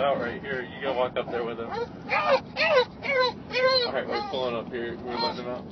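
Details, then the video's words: English Bulldog screaming with excitement on arriving to visit its grandpa, Opa; a rapid run of high, wavering, harmonic yelping screams, about two bursts a second, rising and falling in pitch, with some human voices. "Screaming Bulldog LOVES Opa (Grandpa)"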